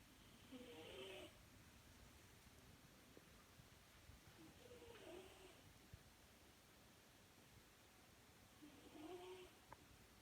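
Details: British Shorthair cat snoring while asleep: three soft, rasping snores about four seconds apart, each carrying a faint wavering whistle-like tone over a quiet, hushed room background.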